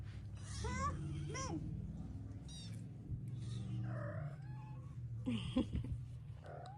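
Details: Ragdoll kittens, Elsa's first litter, meow while waiting for their breakfast. A pair of rising-falling meows come early, then softer scattered cries over a steady low indoor hum.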